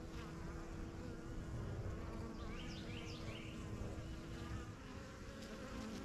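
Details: Thick, even drone of honey bees in flight at a yellow backyard hive, strongest of a beginner's first few hives; three quick bird chirps cut through near the middle.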